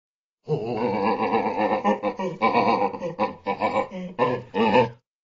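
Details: A mandrill gives a run of deep, rough grunting calls in quick bursts.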